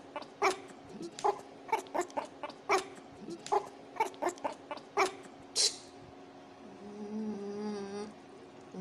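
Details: Shih Tzu dog giving short sharp yips and barks in irregular succession, about one every half second to second, then a humming tonal sound and faint music at the end.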